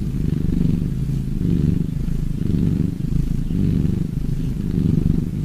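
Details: Cat purring up close, a steady low rumbling buzz that swells and eases in slow cycles about once a second, with no other sounds heard.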